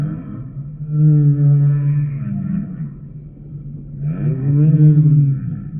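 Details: Humpback whale song: two drawn-out, low, moaning phrases with layered overtones; the first holds steady, the second begins with an upward swoop before leveling off.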